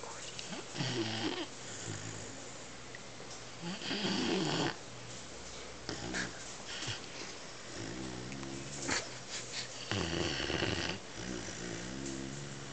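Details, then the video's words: Twelve-week-old Weimaraner puppy asleep indoors, snoring in rough, rasping breaths with louder bursts roughly every two to three seconds over a steady low hum. "Weimaraner Bruce V snoring"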